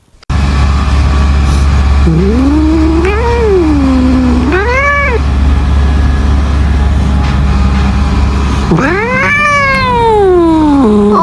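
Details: Angry domestic cat producing long, arching yowls that rise and sink in pitch, two short ones then a longer drawn-out cry, over a steady low hum; Chinese speech follows.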